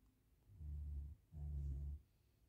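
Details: Max, a Great Pyrenees dog, sleeping and snoring after a tired day of playing at the dog park; two long, deep, low rumbling snores with a short pause between them, quiet room otherwise.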